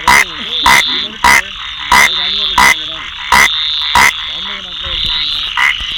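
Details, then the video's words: Rain frog giving brief, sharp clicking chirps roughly every half second to second, over a continuous high ringing background chorus, with faint lower wavering tones in the gaps. "Rain frog"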